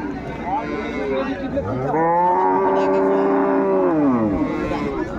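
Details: Improved-breed dairy cow at the Ambari cattle market, 21 May 2024, amid cows and calves bought by Dhaka farmers: a long, loud moo of nearly three seconds that swells, holds steady, then falls away, with faint market voices behind it.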